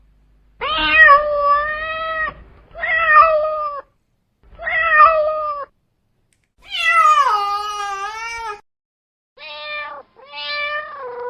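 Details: A male domestic cat gives a run of long, drawn-out meows, some wavering and falling in pitch, meant as a call to attract other cats.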